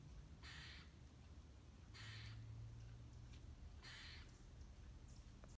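A squirrel gives harsh, raspy calls about every two seconds over a low rumble.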